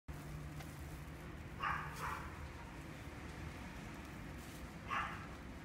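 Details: A red female miniature dachshund, born 23 May 2018, gives a few short, sharp barks against a low, steady indoor hum.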